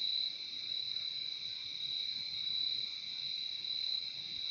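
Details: Night chorus of crickets forming an unbroken, even high-pitched trill with a softer lower band, steady in loudness from start to finish.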